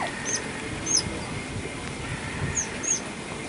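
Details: Noisy Asian small-clawed otters at Adventure World, around 31 December 2011 to 1 January 2012, give four short, very high squeaky chirps spaced unevenly over a few seconds, against a steady low background hiss.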